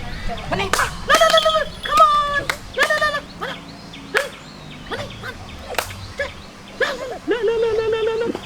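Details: Domestic puppy that has begun barking indiscriminately: a rapid run of high, yelping barks with sharp onsets, some drawn out and rising, several per second with short gaps, and brief human voices in between.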